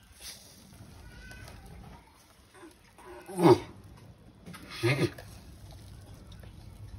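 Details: Sulcata tortoise mating, producing two strained, moaning grunts with a hoarse, tonal edge, spaced about one and a half seconds apart, preceded by faint softer sounds and low rumble.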